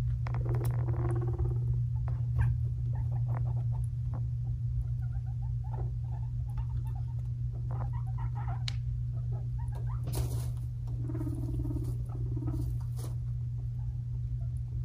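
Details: Two five-month-old male pet guinea pigs, brothers Fluffy and Cocoa, fighting. Brief harmonic whining squeals come at the start and again near eleven to thirteen seconds, with scattered clicks and patter over a steady low indoor hum.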